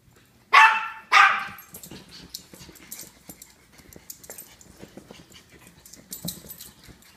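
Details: Two quick, high-pitched barks from Japanese Chins, a fraction of a second apart, followed by several seconds of scuffling, clicking and rustling indoors with no further barking.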